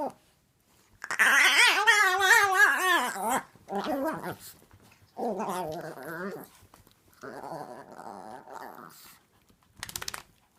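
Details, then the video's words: A tiny full-grown female Chihuahua makes wavering, whiny, gremlin-like growls, rising and falling in pitch like grumbling talk, while playing with a 6-month-old Chiweenie puppy. "Chihuahua makes hilarious noises while playing with a chiweenie puppy."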